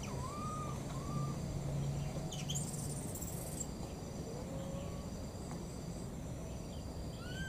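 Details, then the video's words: Two young wild monkeys crying for their mother: a pair of short arched whistles open, a faint one follows, a brief burst of rustling noise, and another rising whistle ends the stretch. "these 2 p.o.o.r baby monkeys, they keep looking for and calling for their mother"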